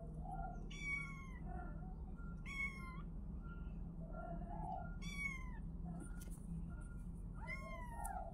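Kittens give high, thin mews that fall in pitch, repeated every two seconds or so.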